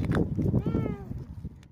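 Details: Cat being rescued gives a single short arched meow, rising then falling, partly masked by low rumbling noise and background chatter.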